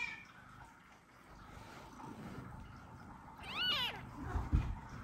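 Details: Newborn kitten, one hour after birth, indoors beside its mother cat, calling her loudly while unable to nurse; a single short rising-then-falling meow, preceded by quiet rustling and followed by soft handling bumps.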